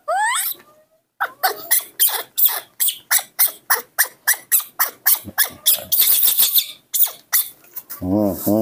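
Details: A young hand-reared monkey, impatient for its morning milk, utters a rapid run of short, sharp squeaky cries, roughly three per second, opening and closing with longer wavering wails, while a woman talks in Indonesian.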